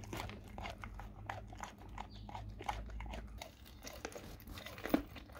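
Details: Dog eating raw cow tongue indoors, with irregular wet crunching and biting bursts, soft smacking between bites and a low steady hum underneath.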